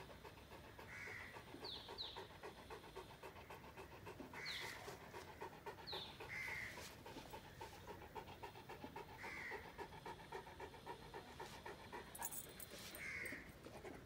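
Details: Saint Bernard sitting and sunbathing in the sun: steady rapid panting, roughly three to four breaths a second, under a hissy outdoor background with scattered high bird chirps.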